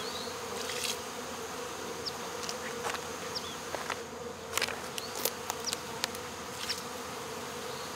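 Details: Honey bee swarm caught at local baseball fields on 12 August 2014, queen in the box; constant low buzzing drone with bright overtones, scattered taps and knocks, and a few thin high chirps in the distance.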